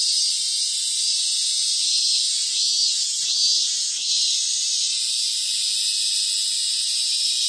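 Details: Robust cicada in hill country in Ehime Prefecture, Japan, near a sacred tree: a dense, steady high-pitched buzzing drone holds without clear breaks for the whole stretch, loud and even throughout.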